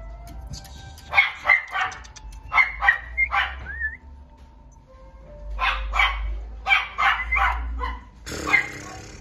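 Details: Female apricot toy poodle puppy born December 2022, kept at a pet shop, letting out bursts of sharp high yips in quick clusters, with one thin rising whine between, and a steady low hum behind.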